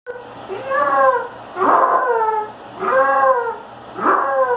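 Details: A Basset Hound's first howl: short, mournful arching bursts rising and falling in pitch, each about a second long, repeating roughly every second and a half with brief pauses.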